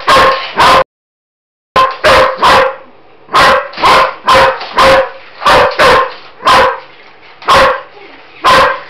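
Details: German Shepherd Roxy, who barks at any noisy mechanical thing, barking at a Roboraptor; two barks, a brief silent gap, then a steady series of loud barks about every half second over faint mechanical hum.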